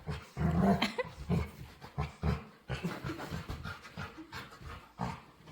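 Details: Demanding dog begging to play with weird noises: a rising whiny moan opens, then low, rough grumbling pulses repeat roughly twice a second.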